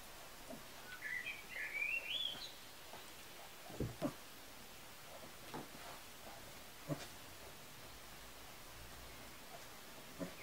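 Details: Litter of Kuvasz pups from the Crystal Diamonds kennel, 14.07.2014, sired by Armani Niclas out of Arika Majna-menti Mákvirág; one high squealing whine climbs steeply over about two seconds, followed by scattered paw taps and knocks indoors.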